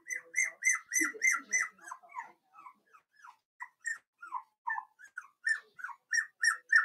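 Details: Four-week-old Cavalier King Charles Spaniel puppies from Daisy's litter, in their puppy pen, give high, downward-sliding whines and squeaky yips, fast and uneven, roughly three per second, with a brief lower muffled sound near the start.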